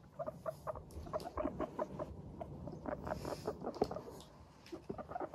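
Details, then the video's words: Pet guinea pigs, Teddy and Abyssinian, in high spirits while trotting about, giving the soft 'pupupu' walking chatter: short, evenly pitched squeaky pips repeated rapidly several times per second, with light patter of movement underneath. "軽快に歩く♪上機嫌なモルたちのお喋り Guinea pigs chatting"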